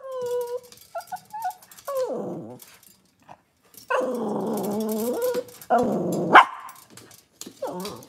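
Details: Cavalier King Charles Spaniel puppies indoors on a kitchen cam, cloudy Monday morning: a string of high, tonal whimpers with clear harmonics, some wavering and sliding down, broken by short pauses and a sharper yelp near the end.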